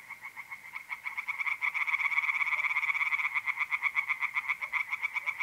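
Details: Several tree frogs in an April night pond chorus in north-east Italy, their fast, overlapping croaks merging into a dense, pulsing rattle that swells after the first second; mole crickets trill faintly beneath.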